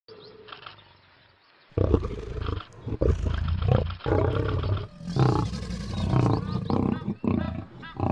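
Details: Big male lion in Africa confronting a huge crocodile, giving deep, rough, low-pitched roaring growls in sustained bursts after a quiet opening second and a half, with short pauses between rumbling outbursts.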